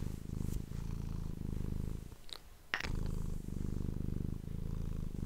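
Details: Domestic cat purring indoors, recorded close up on an ASMR microphone: a steady, low, rumbling purr pulsing with each breath, briefly interrupted mid-clip by a pause and a few sharp clicking noises before the purring resumes.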